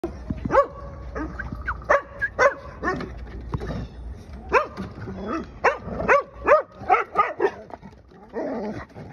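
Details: Taiwan dog grumbling and yelping in a long run of short, bending, whiny barks with harmonic overtones. The sounds come in irregular clusters, some rising then falling, and are loudest toward the end over a low background hum.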